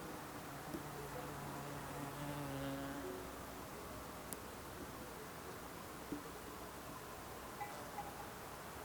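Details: Bee passing in the Alpstein massif mountains of Switzerland, a low steady hum lasting about two seconds near the start, then fading, over a quiet outdoor hush with a few soft clicks.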